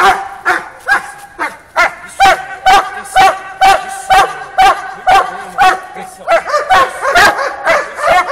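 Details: Doberman named Conan, described as a dog leaping to bite, barking loudly in a steady series of sharp, ringing barks about twice a second, growing more rapid and clustered near the end.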